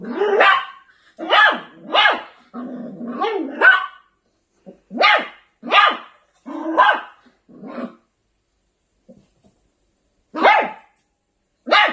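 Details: Angry Maltipoo puppy indoors giving rapid high-pitched yaps mixed with a low rumbling growl, bursts of barking broken by brief quiet gaps, then a few last isolated yaps.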